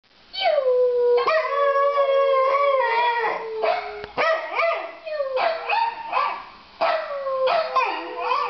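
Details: Pembroke Welsh Corgi howling: sustained harmonic tones sliding down and holding near a steady pitch, broken into several drawn-out howls with short rising yips and wavering onsets between them, no other sounds.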